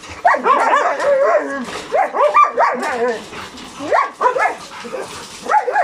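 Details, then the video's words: Logan and Kaido, two hyper dogs whose attention is caught even by insects, birds and voices, give rapid bursts of high, wavering whining yips and barks, pausing briefly between excited runs. "Logan and Kaido very hyper, even insects, birds and voices catches their attention."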